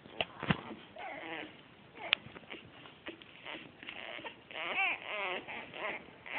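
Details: A litter of Australian Shepherd puppies born 12 August 2010 (red tri, black tri and blue merle) gives high, thin whimpers and squeaky arched whines in short bursts.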